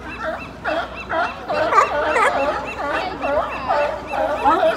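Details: A crowd of seals at Pier 39, San Francisco, barks together in hoarse, overlapping honks, each call rising and falling quickly, with people talking nearby.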